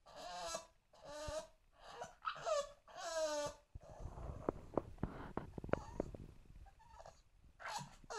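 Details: An English Bulldog puppy aged two months cries to climb onto the sofa: a run of four or five high, wavering whines in the first half, then scuffling, thumps and a few faint whimpers near the end.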